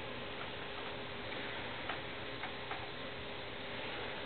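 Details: Steady indoor background hiss runs throughout, broken only by a few faint ticks, with no animal voice.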